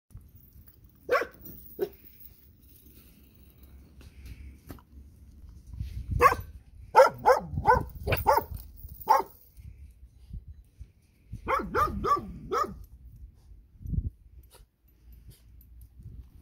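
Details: Puppies at a countryside home, seen again after forty days and grown much bigger, give short sharp yappy barks in bursts, a quick run of five or six around the middle, then another cluster near the end, with quiet gaps between.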